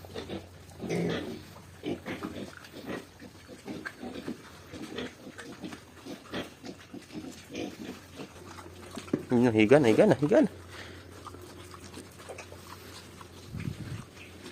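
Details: Two-week-old native pig piglets at feeding time. Soft scattered grunting is followed by one loud, harmonic squeal lasting about a second near the end, with a person talking over the animals.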